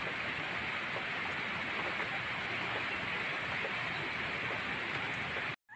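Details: Steady hiss like heavy rain fills the recording, ending in a sudden cut to silence.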